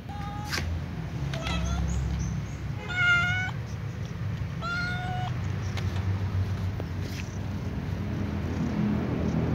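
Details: Domestic cats, a ginger cat and a white cat, eating fried tofu; several short harmonic meows at about 0.5, 1.5, 3 and 5 seconds, the longest near 3 seconds, over a steady low rumble of traffic.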